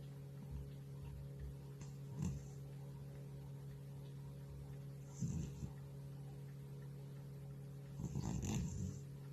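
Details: Elderly house cat deeply asleep. Softer rasping snores come roughly every three seconds, low and gravelly with a faint airy edge, above a constant low background hum.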